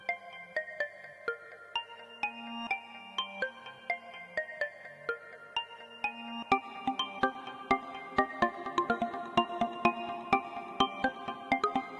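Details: Only a light, steady tune of chiming mallet-like notes and soft percussion plays, with no animal voice heard.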